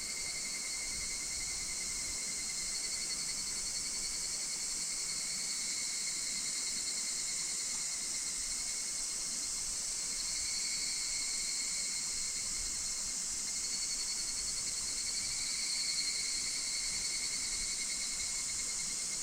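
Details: Higurashi cicada chorus recorded in August 2026 at Minoh Park, Kawachinagano or Mount Koya in Japan: layered ringing tones that waver gently throughout, steady and unbroken, with a bright hissing wash of other insects.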